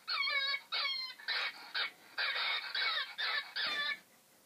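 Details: A fox call played from the Internet gives a rapid run of harsh, squealing calls in short bursts, each rich and nasal, while a pet listens in confusion.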